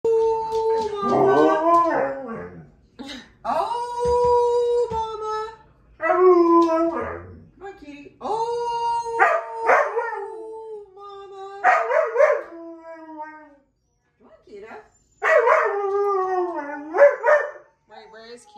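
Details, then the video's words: Siberian Husky howling indoors in answer to a person's awoo; drawn-out harmonic howls with wavering pitch come in bursts of about two seconds, alternating with the person's voice, in a small room. "Watch what happens when Nana says awoo"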